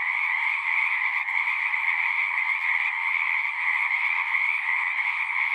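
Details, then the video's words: Singing frogs fill the air with a thick, steady chorus of shrill trills, overlapping so closely that no single caller stands apart; the level stays flat with no gaps. "One hour of singing frogs."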